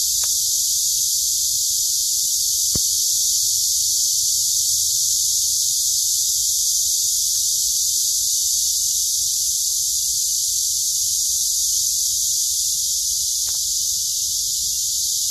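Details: A dense chorus of cicadas in the city forest by Daejeon City Hall, Dunsan-dong, on 28 July 2021, a steady, high, hissing buzz that never lets up.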